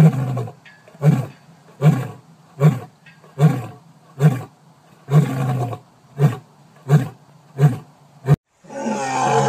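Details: Lion in a long run of short, deep grunting roars, about one every three-quarters of a second, gradually tapering; a rougher breathy sound follows at the end.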